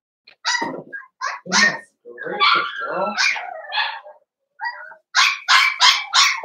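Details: Young blenheim Cavalier King Charles Spaniel puppies from a New Year's litter of five, indoors in their pen, give rapid high-pitched yelps and squeaky whines in clustered bursts separated by short silences.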